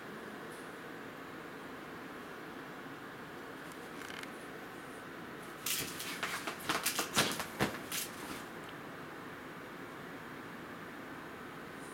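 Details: A quiet indoor room with low steady background hiss, broken midway by a short burst of sharp clicking and rustling handling sounds.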